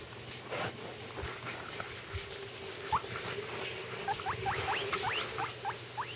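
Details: Pet guinea pig calling indoors while its companion eats: after a few seconds of rustling and chewing noise, a quick run of sharp rising squeaky whistles, roughly three per second, fills the last part, with a low hum underneath.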